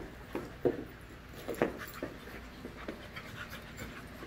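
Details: A group of five-month-old puppies at play: two loud, gruff barking growls stand out early, followed by softer scattered grunts and panting breaths against a low steady hum.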